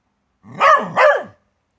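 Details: Doug the Bedlington Terrier confronting a garden grub with a loud, rough double bark, two close pulses about a third of a second apart.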